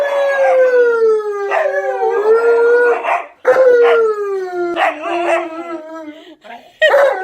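Two big northern dogs howl together in long, wavering, sliding notes that rise and dip.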